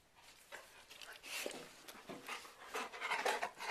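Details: Dog panting at Saturday morning feeding time, one of two playful dogs. Breathy, broadband huffs come quickly and unevenly, about two per second, while a person talks to the dogs.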